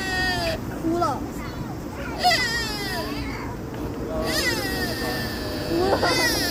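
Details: A deer in Nara gives short, nasal, bleating cries that rise and fall, over a murmur of people talking.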